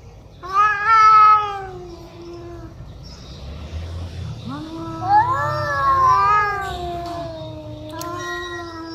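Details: Angry cats growl at each other, trading long, wavering yowls and moans that rise and fall in pitch, very loud and scary.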